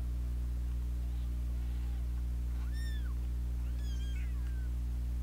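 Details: Two fighting kittens and a meddling older sister cat; a few faint mews, then two clear arched meows, the second wavering and falling, over a constant low electrical hum.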